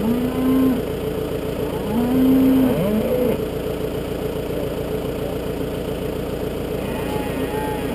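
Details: Wild Galloway bull on a farm at suckler-cow feeding time. Two short, steady, low lowing tones near the start, each under a second long, with a vehicle engine droning throughout.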